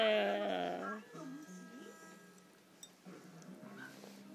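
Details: Basset Hound facing a vibrating cushion: opens with a loud, drawn-out howling whine rich in overtones, then softer wavering whimpers rising and falling, while a woman talks quietly.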